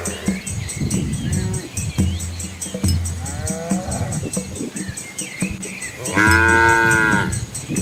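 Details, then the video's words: Asian village cows and calves walking along a quiet rural road among green rice fields; a few low moos and one louder drawn-out, rising-falling moo near the end, over steady background hum and clatter. "Cow Sounds"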